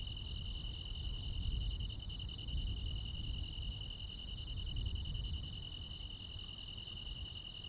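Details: Rural night chorus of crickets and insects in midsummer: an even, high, buzzing trill with quick regular pulses on top holds steady throughout, while a heavier low rumble swells and fades in the background.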